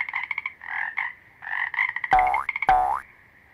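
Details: Toads croaking in quick pulsed rattles, the male voice used to attract females; the croaks run in dense bursts, then two drawn-out, swooping tones cut in near the end.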